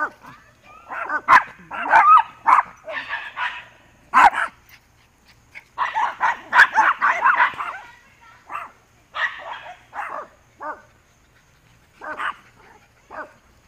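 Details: Dog barking while racing along a fence, recorded September 17, 2015: bursts of sharp, harmonic barks in rapid runs, a dense volley midway, then spaced single barks trailing off, with brief music in the background.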